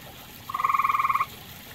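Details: A grey tree frog at a pond shared with common toads gives one crisp, musical trill of about fourteen rapid pulses, lasting under a second, against quiet background noise.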